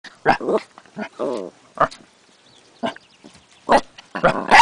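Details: Eight-week-old Corgi puppy, new to its home, getting frisky on the porch and barking at the camera: sharp short yappy barks and yips, about seven in under five seconds, irregularly spaced, some with a rough growly edge.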